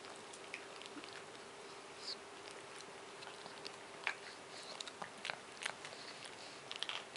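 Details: Moshi, a male Japanese Chin almost seven years old, chews and licks a bone indoors straight after a bath, ignoring everything else; soft scattered crunches and wet clicks over a steady low electrical hum.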